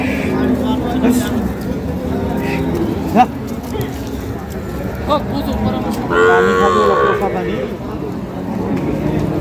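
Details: At a busy Friday cattle market in Dinajpur, Bangladesh, where milk cows are sold with their calves, a wavering moo rises and falls briefly amid constant crowd noise, voices and clatter.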